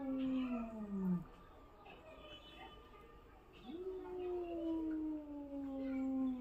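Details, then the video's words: ['A cat scared by another cat gives unusual howling sounds. A falling, moaning yowl is followed by a pause, then a second long cry that rises sharply and slowly sinks, with faint higher mews between.'] "Cat scared from another cat and making unusual sounds"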